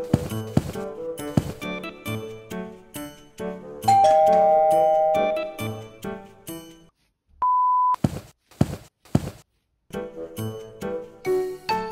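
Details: Upbeat plucked music with chime-like ding-dong notes and a brief held tone fills the whole stretch, with no animal sound.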